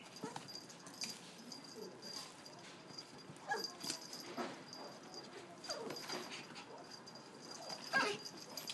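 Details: Female white Japanese Spitz puppy born 30 November 2016, kept at a pet shop, giving soft high whimpers and short yips at irregular intervals over a quiet, steady background hum.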